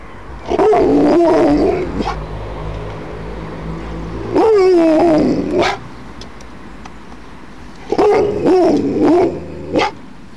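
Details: Alaskan Malamute howling in reaction to ringing church bells: three drawn-out, wavering tonal howls, each about a second and a half long with rich harmonics, separated by quieter pauses of a few seconds.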